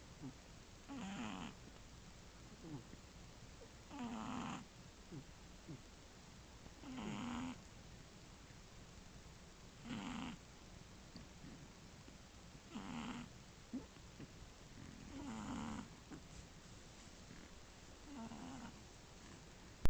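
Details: Sleeping Shih Tzu puppy, one month and three weeks old, snoring next to its sisters, one of which adds occasional faint snores; seven steady rhythmic snores about every three seconds, each a brief raspy breath with a low rumble.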